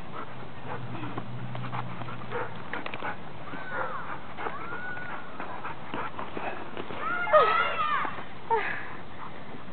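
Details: Fighting dogs amid scuffling and broadband noise, with scattered short whines early on and a cluster of sharp, high, arching yelps near the end, followed by a couple of brief squeals.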